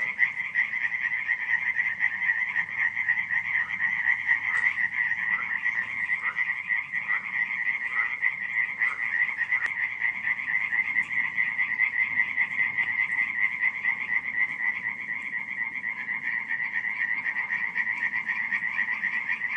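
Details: Night-time frog chorus recorded in July 2015 at Radziszów, Poland: countless quick, grating croaks blend into one constant trilling drone, with a few louder individual notes standing out briefly near the start.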